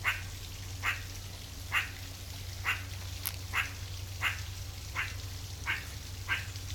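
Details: Wild meerkat giving a run of brief chirping calls, eight or nine spaced about three-quarters of a second apart, with a faint click mid-sequence and a constant low droning background.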